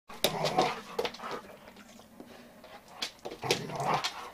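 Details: Giant Schnauzer named Daisy, one year old, giving short whimpering and yelping bursts, some with a clear tonal whine, broken by quieter gaps over about four seconds.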